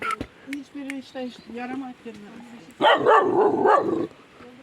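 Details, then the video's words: Kangal puppy beside a tandoor, barking at its own reflection in a mirror: a quick run of short, high-pitched yelps and whiny barks, then a louder, rougher, noisier burst toward the end. "tandır başında kangal yavrusu kendini aynada görünce"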